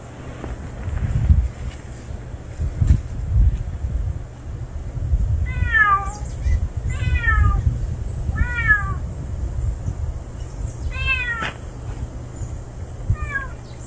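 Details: Strange male street cat appearing for the first time calls in a loose series of five falling meows, the first four close together and the last after a pause, with low outdoor rumble and a few faint clicks.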